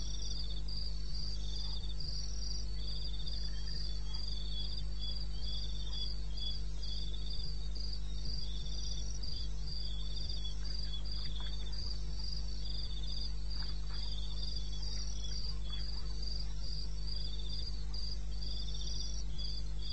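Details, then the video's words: Crickets in wild eastern Botswana at 2:30 am, 21 May 2016, chirping steadily for the whole stretch; two high pulsed voices interleave in regular bursts, with faint brief rustles and a continuous low hum. "1 Hour cricket sound-Africa"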